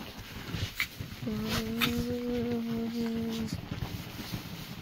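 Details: Chihuahuas up early on a Monday morning; one gives a steady, level, drawn-out whining howl lasting about two seconds, with a person talking softly to the dogs around it.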